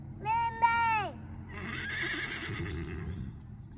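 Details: Horse calling its companion MayMay after a person prompts it: a loud tonal whinny, falling slightly and wavering for under a second, followed by a truck's broad engine rumble and a person's voice.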